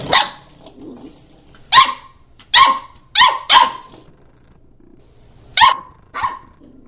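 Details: Playful puppy barking in short, sharp, high-pitched yaps, some doubled, scattered over seven seconds with brief silent gaps between bursts.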